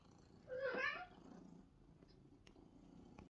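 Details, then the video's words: Pet cat answering a man asking if it wants its treats; a single short, bright meow rising then falling, followed by quiet room noise and a couple of faint clicks. "The talking cat"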